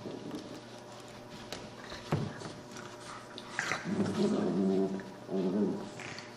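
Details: Playing puppies indoors, with a brief thump and then two bursts of low, harmonic growling from about four seconds in, over a steady background hum.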